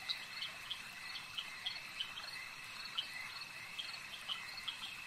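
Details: At a lake, frogs form a continuous high trilling drone while short bright notes repeat roughly three times a second on top, giving a pulsing, rhythmic texture to the soft chorus.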